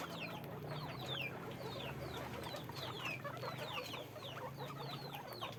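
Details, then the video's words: Guinea pigs on a farm, many squeaking together: dense overlapping short high squeaks sliding downward, constant chorus with low rumbling background hum. "guinea pig sound, guinea pig noise"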